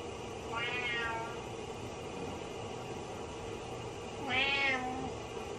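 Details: Pet cat Butters crying for the owner in the shower: a soft meow followed about three seconds later by a louder, sharper one, with shower spray hissing throughout.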